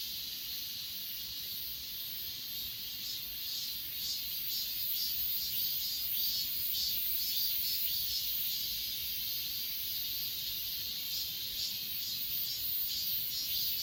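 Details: Chorus of insects on Achasan mountain, dense high trilling pulses repeating roughly twice per second over a constant high-pitched drone, layered callers overlapping.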